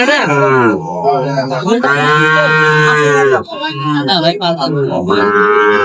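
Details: Sahiwal bull calves for sale at a market, 10 June 2025, with a Dhaka farmer buying. A deep, sustained moo lasting over a second rises out of the background, surrounded by men haggling over prices and ages.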